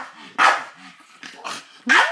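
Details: Hans, a Staffordshire Bull Terrier, barks at a giant birthday balloon that won't play with him; a few short sharp barks with a brief whine, a person talking softly between them.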